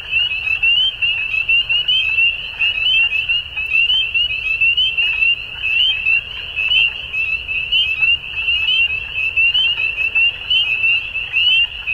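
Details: Frogs at dusk produce a steady, piercing chorus of fast repeated trill notes. Loudness swells and fades in short waves as many voices overlap, with quiet low rumble below.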